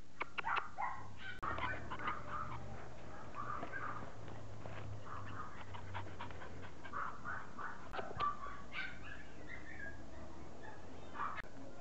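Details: Household dogs, a chow and a Yorkshire terrier, give faint whimpering yelps in quick clusters, with people talking softly nearby and a low background rumble.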